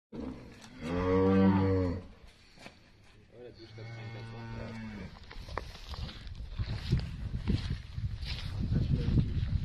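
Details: Pregnant Limousin heifers on a French farm: one deep, loud harmonic moo lasting about a second, then a softer lower moo, followed by rustling and French speech.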